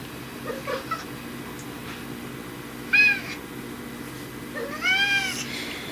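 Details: Indoors, the tabby cat Riki, whose meows differ when dad is around, gives two clear meows about two seconds apart: first a sharp bright one, then a longer wavering cry, with near silence before them.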